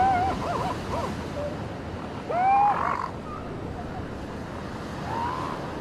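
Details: Beach with seal pups: a short wavering cry opens, then a louder rising, tonal bleat follows a couple of seconds later, and a fainter call comes near the end, all against constant crashing waves.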